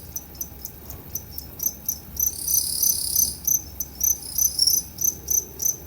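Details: Two-spotted crickets at Tama Zoological Park, Japan, 29 September 2015, giving two different call types; evenly spaced high chirps, about three per second, with a louder prolonged trill swelling in the middle before the chirping resumes.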